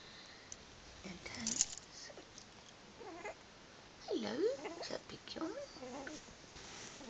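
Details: Two-week-old blue Staffordshire bull terrier puppies from a litter of six, eyes newly opened, giving faint, thin squeaky whimpers that swoop down and back up in short bursts, several cries clustered together over a steady background hiss.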